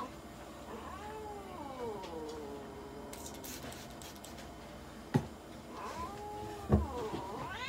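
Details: Munchkin cat Mocha under veterinary examination and blood sampling in Nagoya gives two plaintive meows several seconds apart, the first wavering and long, the second rising, with sharp knocks and rustling of handling between them.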